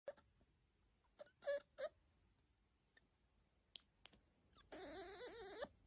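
A fennec fox gives short, high whimpering squeaks, then a longer wavering, nasal whine.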